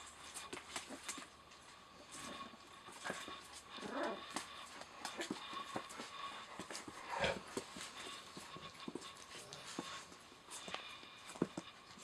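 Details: Eleven-day-old puppies from Rosalie's litter, eyes just opened, heard indoors: a few high, wavering squeaks and whimpers, clearest near the fourth and seventh seconds, over steady clicking, shuffling and rustling.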